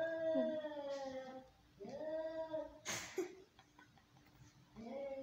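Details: Angry domestic cats fighting: long, drawn-out, wavering yowls that rise and fall, broken by a sudden sharp hiss-like burst midway, then another low moaning wail at the end.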